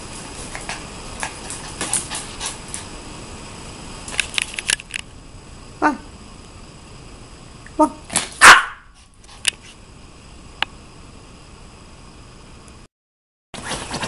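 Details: Maltese dog indoors giving a few short, sharp barks spaced a couple of seconds apart, the last one loudest, while a person softly calls and clicks to it between the barks.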